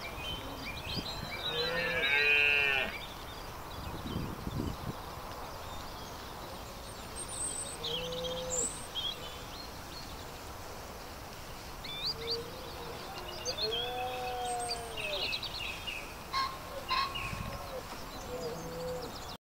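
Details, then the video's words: At Knepp Wildland in evening sunshine, red deer in rut give drawn-out groaning bellows, one loud near the start and another arching moan later, with quieter grunts between over steady outdoor background noise. "Red deer rut in the evening sunshine"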